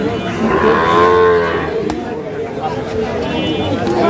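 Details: Sahiwal bull calf, fattened for sale, at the Ambari haat in Dinajpur on 11 July 2025, with a full, rounded moo swelling and fading in the first second and a half, then background market hubbub and a sharp knock.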